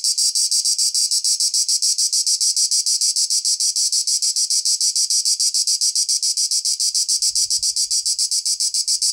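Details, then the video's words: Cicada song, an intense high rasping buzz beating in a fast, even rhythm of roughly three and a half pulses a second. A faint low thump near the end. "cicada / τζιτζίκι / τέττιξ"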